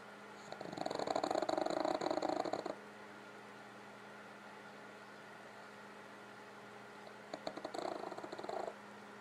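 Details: Pug named Gypsy snoring indoors while sleeping, worn out after a family visit, with a second pug, Otto, nearby; two bouts of rapid, raspy, pulsing snores, the first about two seconds long, then a quiet pause before a shorter second burst.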